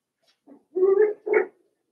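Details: Cavalier King Charles Spaniel puppies, five weeks old, in a puppy pen indoors; a faint yip followed by two longer, harmonic whining barks close together.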